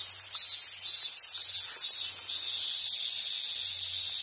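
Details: Cicadas fill the summer air at a Japanese macaque monkey centre on Awaji Island, Hyogo, Japan, with a steady, high, hissing drone that never pauses.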